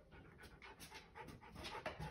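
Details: Siberian husky puppy indoors in a new home's basement, panting in quick breathy bursts roughly every quarter second, with a woman telling it to sit and get down.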